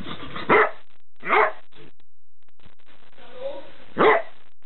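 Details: Irish Glen of Imaal terrier giving three short, sharp barks spaced roughly one and a half seconds apart, each a brief broadband burst, over a steady low background hum.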